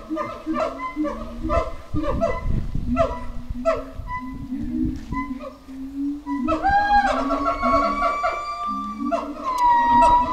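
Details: Captive howler monkeys at Twycross Zoo at feeding time, howling, screaming and moaning while defending their territory: rough, honking harmonic calls repeated about three times per second, rising into strained, wavering moans near the end.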